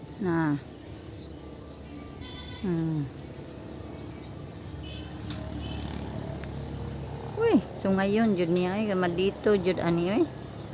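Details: Goats at feeding time bleat repeatedly: two short, falling cries spaced a couple of seconds apart, then a long, strongly trembling bleat followed by another, over a low background rumble.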